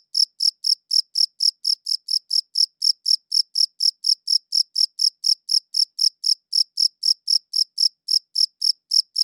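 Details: High-pitched cricket chirps, recorded on a good audio recorder, repeat rapidly and evenly at about four a second for the whole stretch, each one a short bright tick; silent background.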